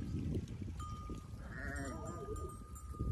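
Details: A sheep from a flock in the mountains, being led to water, gives a quavering, wavering bleat over low rumbling noise and a steady ringing tone.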